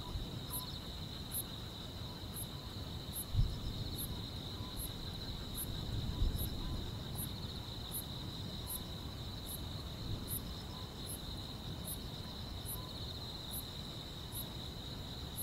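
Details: Grass insects chirping on a summer night: a steady, unbroken high buzzing trill with a fainter, sharper chirp repeating about once a second above it, over a low rumbling background hiss.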